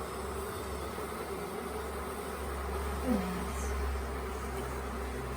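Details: Honey bee swarm that had settled for days at the Tamarind Tree Hotel late in the year, being caught into a nuc box: a steady, even droning hum held throughout, with a deep low rumble underneath and one brief faint squeak.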